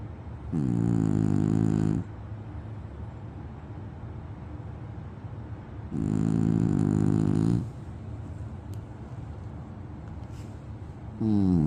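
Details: French Bulldog snoring: two long rasping, harmonic-rich snores about six seconds apart, each lasting over a second, with quiet breathing between and the start of a third at the end.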